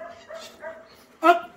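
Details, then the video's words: Belgian Malinois during off-leash obedience training, giving a thin, harmonic whine in short broken pieces, then one sharp, loud bark-like burst near the end, with a person speaking softly nearby. "PASTOR BELGA MALINOIS adestramento sem guia"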